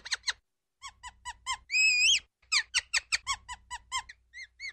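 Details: Ground squirrel giving a series of short, sharp, high chirps with one long, quavering, drawn-out whistle in the middle, then a quicker run of chirps fading to softer ones.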